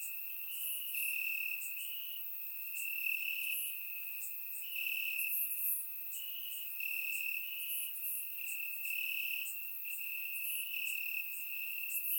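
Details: Night chorus of crickets in Bulgarian grass during a warm summer night, surround-mic recording: an unbroken shrill trill with rhythmic louder pulses roughly every second, and fainter overlapping chirping from other insects higher up.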